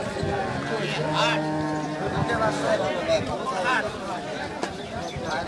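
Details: Friesian heifer calves, one of two, recorded 29/04/18: a steady, drawn-out moo lasting about two seconds, then people talking nearby over a busy outdoor background.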